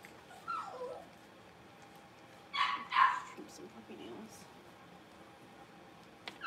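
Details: Blenheim Cavalier King Charles Spaniel puppies from a litter of five, learning to bark, give two quick, high, yappy barks after a brief falling whine.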